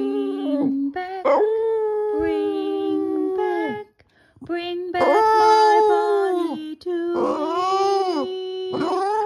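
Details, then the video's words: A pet Boston Terrier howls with its owner's rendition of "My Bonnie Lies Over the Ocean". Long held tones with bending, quavering upper notes form three main phrases separated by a near-silent gap around the middle. "the Boston Terrier sings “My Bonnie Lies Over the Ocean”"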